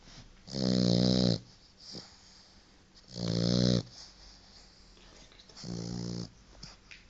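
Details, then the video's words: Sleeping white French Bulldog puppy, four months old, named Paco: deep buzzy snores with rich harmonics repeat about every two and a half seconds, the third one quieter, and faint snuffling breaths fill the gaps in a quiet room. "Paco roncando"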